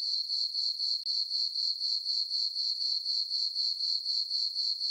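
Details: Crickets at night in a full-moon farm meadow in summer: a thin, piercing chirping trill with regular pulses, about four a second, uninterrupted.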